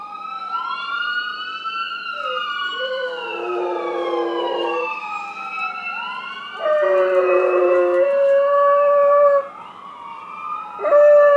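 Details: A Golden Retriever howls in long, wavering tones at a passing ambulance whose siren rises and falls, stopping mid-howl when he notices he is being filmed.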